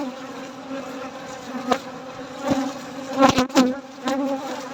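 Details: A steady, low hum of buzzing honey bees during a night-time honey harvest, with a few sharp knocks and clicks.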